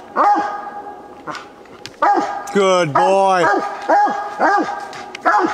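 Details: Walker coonhound Copper barking at a treed coon during a hunt; scattered falling barks come in bursts while a man's voice praises the dog in the middle, in an old low-quality recording.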